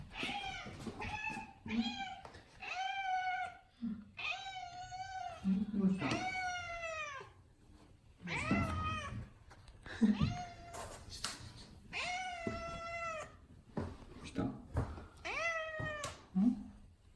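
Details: Pet cat named Odeko meowing as if pleading for something. About ten drawn-out, harmonic-rich meows come in a steady series, some rising then falling, with a person's soft voice asking what is wrong between them.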